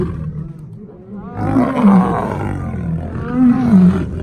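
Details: Lion giving deep, drawn-out roaring moans: two long harmonic calls with wavering, bending pitch that begin after a quiet opening second, and a faint human voice underneath.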